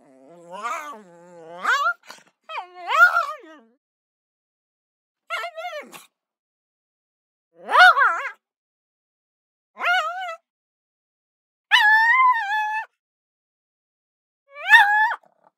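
A pug gives short, high, nasal squeals in separate bursts, each rising and wavering slightly.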